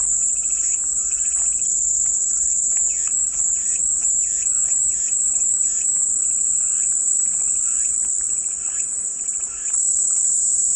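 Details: Cicadas keep up a loud, even, high-pitched drone, overlaid for several seconds by rapid repeated chirping notes from another animal, which then fade back into the buzz.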